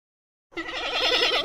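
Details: Giant panda (Ailuropoda melanoleuca) gives one goat-like bleat after a brief silence, a wavering nasal tone with a quick tremble held for about a second.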